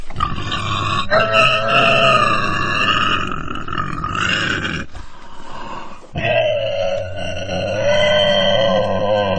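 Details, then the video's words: Pig cries: continuous shrill, wavering squeals layered over gruff low grunting, with one brief lull past the midpoint before the squealing resumes loudly. "돼지 울음 소리, 돼지 울음 소리가 듣고 싶을 때, Pig cry"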